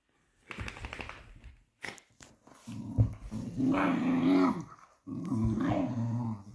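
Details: Two Patterdale Terriers, fell terriers, play-fighting indoors; low rumbling growls with harmonic bands build and sustain for about a second at a time, broken by short gaps and scuffling thumps.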